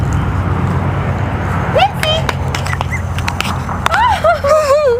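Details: A very small 9-week-old Maltese-poodle cross puppy named Prince, the litter's runt, lets out a short rising whine, then a wavering series of high whimpers near the end. Light outdoor ambience and a human voice can be heard.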